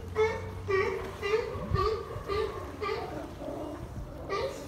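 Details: California sea lions barking at Monterey harbour, CA, USA, 8 March 2023: rhythmic, nasal, honking barks repeated roughly twice per second over a low harbour rumble.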